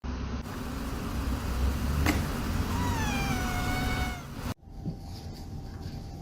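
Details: Domestic cat in a funny pet compilation giving a single long, drawn-out meow that holds steady then sags slightly in pitch over about a second and a half, set against a constant low rumbling background, followed by sudden quiet.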